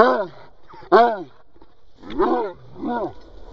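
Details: Cocker Spaniel barking to demand that a ball be thrown: a series of hoarse, harmonic, arching barks with a whining, moaning quality, separated by short pauses.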